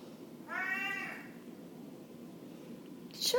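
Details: A male Blue Mink Tonkinese cat seeking attention gives one drawn-out, nasal meow that rises slightly and then falls away.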